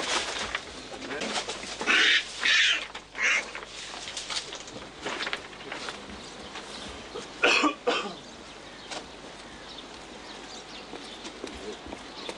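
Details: Marmots at the Berlin Zoo, newly moved into their enclosure, with one being helped to find the burrow, give rough, airy hisses under half a second each, a burst of three then a pair, over low murmur and handling noise.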